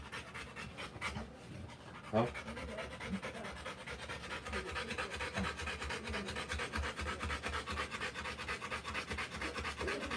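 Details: Rottweiler in labour with puppies, quick breathy panting that settles into a steady rhythm after a brief stretch of human voices and a sharp knock near the start, with murmured speech continuing faintly beneath.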